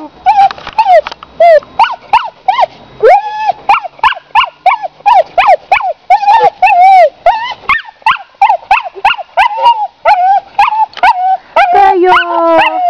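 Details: Male English Cocker Spaniel whines in a rapid string of high, nasal, wavering cries after seeing a female dog.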